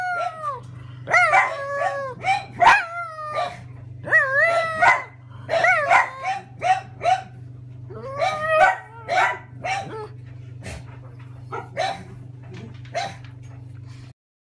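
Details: Pug excitedly vocalising at the arrival of a delivery driver: rapid bursts of yelps and short wavering howls, clustered in uneven runs, with a faint steady hum behind, ending in quiet.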